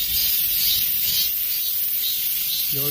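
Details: Dozens of cicadas singing together as summer ends, a dense steady high hiss with soft pulsing swells roughly every half second, and a man's voice starting briefly at the very end.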